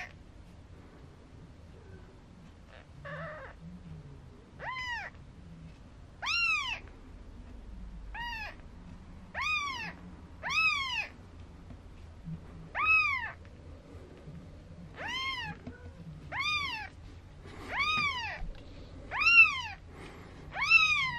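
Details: Maine Coon kittens four days after birth, kept by a breeder in Tokyo, Japan, calling in a long series of thin, rising-then-falling mews, about a dozen over twenty seconds, loosely spaced, with faint rustling and a low hum beneath.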